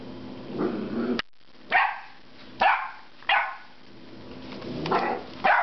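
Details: A 10-week-old puppy, usually quiet, vocalizes loudly in frustration at a rubber squeaky pig toy. Sharp, broadband yaps come roughly once a second with a low grumbling undertone between them, indoors with a steady background hum.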